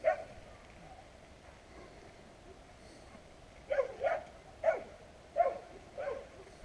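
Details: Unrestrained street dogs barking at passers-by, captured with a GoPro Hero. One sharp bark starts things, a quiet pause follows, then a run of five or six punchy barks about half a second apart.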